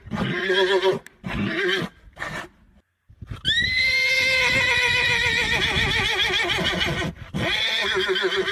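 A horse neighs in one drawn-out whinny, beginning with a sharp high onset and then shaking in a rapid tremolo for several seconds. Shorter rough, breathy bursts come before it.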